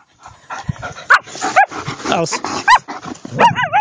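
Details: German Shepherds in the woods after tracking training: loud, excited barks and high yelps come in four or five bursts, some with wavering, rising-and-falling whine-like tones, while a person calls out nearby.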